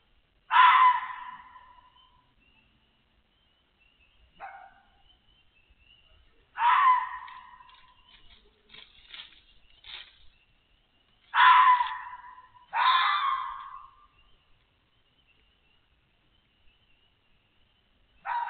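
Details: Adult female red fox near a den holding six kits, barking to draw a coyote away. Harsh, raspy barks come singly or in pairs, spaced several seconds apart, over a faint thin high tone in a quiet outdoor setting.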